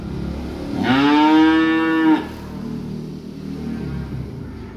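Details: Small calf arriving by truck gives a single strong, level moo lasting over a second, rich and nasal, then quiet rumbling background.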